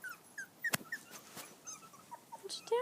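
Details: Five-week-old poodle-shih tzu mix puppies on grass for the first time; brief high whines and squeaks overlapping, with a few sharp clicks and a voice saying "go".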